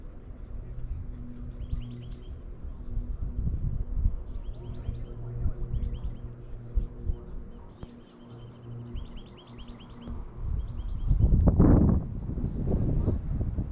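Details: Squirrel calling at the Henry Coe parking lot: short bursts of high, sharp chips come in quick clusters of three to five. A steady low rumble runs beneath, and louder noise rises near the end.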